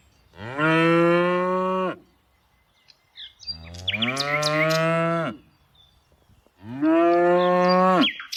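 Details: A cow in a tame herd being herded in the afternoon gives three long, deep moos, each over a second, with rich harmonics and a slight rise.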